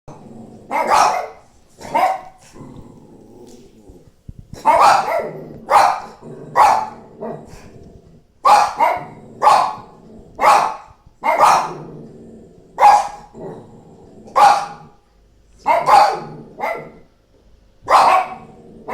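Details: A female Shih Tzu pet barking with her entire body as if having a massive hiccup: short, gruff barks in a steady series, roughly one every second, some in quick pairs, with brief pauses between bursts.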